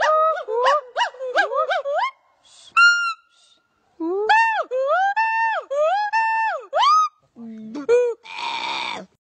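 A monkey calls in quick, tonal yelps that swoop upward, then in longer hooting notes that climb, hold and drop. The sequence closes with a few lower squeaks and a rough, noisy burst.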